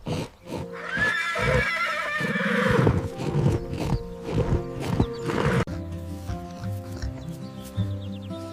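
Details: A large white farm horse neighs: a loud, high, shaky whinny that climbs, wavers, then drops into lower snorting tones, with steady instrumental music underneath that continues after the call.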